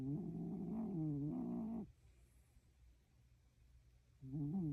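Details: A sleeping Shiba Inu breathes noisily, each breath giving a drawn-out, nasal, whine-like tone that lasts nearly two seconds, then a quiet pause before the next breath starts; the room is otherwise still.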